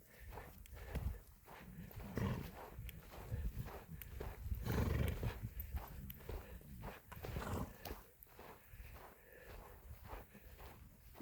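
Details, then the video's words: Mongolian horses heard close by: a dense run of low, rough snorting and thudding sounds, several each second, swelling and fading in loudness over steady outdoor background noise. "Монгол адуу"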